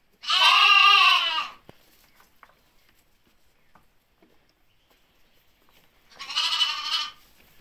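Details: Ripollès lambs on 30 June 2022 give two loud, quavering bleats over a nearly silent background. The first lasts over a second and the second, shorter, comes about five seconds later, with faint clicks between.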